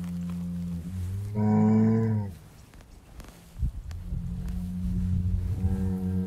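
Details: Bull on a farm lowing deeply, one loud moo rising slightly in pitch and held about a second, echoing, followed by lower droning moos and a fresh deep call starting at the end.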